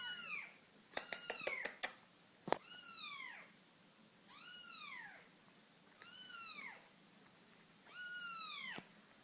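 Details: British Shorthair kitten siblings fighting and playing; high, thin kitten meows, each rising then falling, repeated every couple of seconds between soft knocks.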